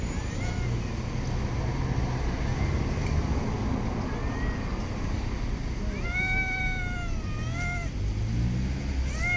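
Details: Stray cat in a city park or street meowing: a couple of faint early mews, then two clear, drawn-out, slightly falling meows about two seconds apart, over a steady low rumble of traffic.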